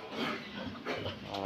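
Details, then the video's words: Sow in heat being checked for breeding readiness by rubbing her back; a short, toned grunt with stacked harmonics, swelling twice over about a second and a half in a small indoor pen. "ganito mag heat detection Ng inahin"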